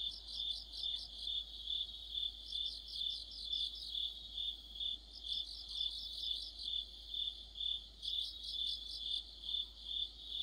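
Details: Crickets and other insects singing together in autumn. A continuous high, shrill drone carries throughout. Bursts of faster pulsed trilling break in and out every two to three seconds.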